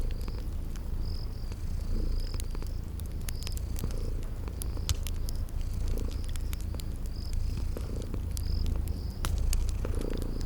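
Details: Sleeping kitties purring in a cozy spring garden ambience: a steady low rumbling purr throughout, with sharp crackles from a fireplace and short high chirps repeating in the background.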